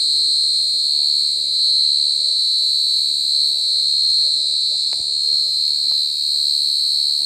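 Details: Very loud mole cricket song: an unbroken shrill, ringing trill at constant pitch, gently swelling and fading in volume, over soft low background rumble.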